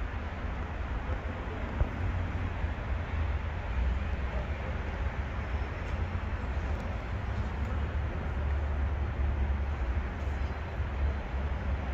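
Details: Low, constant rumbling background noise like distant traffic continues throughout, with no distinct animal sound.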